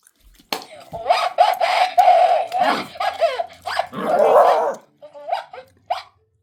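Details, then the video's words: Five-month-old black-and-tan Shiba Inu puppy, finally daring to bark, squares off against a voice recorder indoors; a rapid run of sharp, yelping barks with a ringing tone, then a short pause and a few last isolated yaps. "5개월 시바견블랙탄 용감해지다! 드디어 짖어보는시바견 녹음기와 싸우다"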